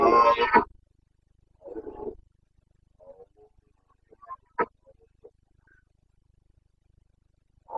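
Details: Wild Carpathian red deer stag roaring during the rut in Bucovina, 29 September 2022. One loud, raspy roar opens the recording, then a softer second bellow, followed by faint scattered grunts and clicks.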